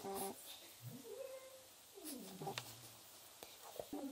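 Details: Domestic cat vocalising while its claws are clipped. Two quiet, drawn-out wailing meows: the first rises and then holds steady, the second slides downward to a low, level moan. Faint handling clicks are heard between them.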